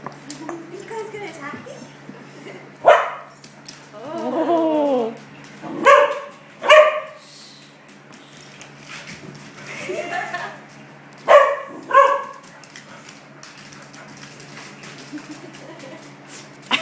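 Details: Puppy indoors near a kitchen giving several short, sharp barks, some in quick pairs, spread across the recording between stretches of quiet, with a woman talking and a drawn-out whine-like sound in between.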